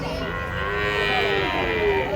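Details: Giant cattle being unloaded, coming down from a truck: one long sustained moo with rich harmonics, its pitch wavering gently and dipping slightly toward the end, over steady broadband background noise.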